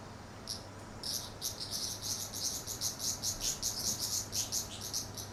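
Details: Cicadas calling in summer at a traditional Japanese house in Japan: rapid, high, buzzy pulses repeated about two or three times a second, rising and falling in loudness, over a steady low hum.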